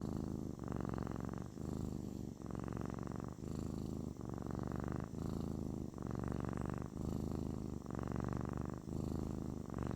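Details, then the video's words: Kitten purring, described as therapeutic: a low, rumbling, continuous purr in long phases of about one second each, separated by brief breaks, steady and close throughout. "The therapeutic purring of a kitten"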